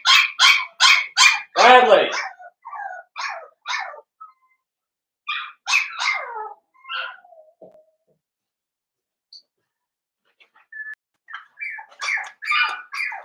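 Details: Five-strong litter of blenheim Cavalier King Charles Spaniel puppies, born around New Year's, in a home puppy pen: a fast run of sharp yips, then scattered thin whimpers and squeaks with quiet gaps, and more yelping near the end.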